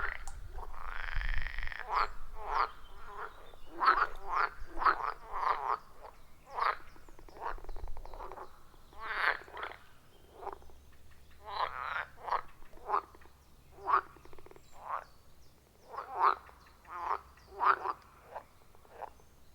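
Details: Wild frogs calling around a forest pond, captured on an iPhone 14 Pro with Shure MV88+ microphone: repeated grating, gargled croaks in irregular bursts from several frogs, with low rumbling noise at the start.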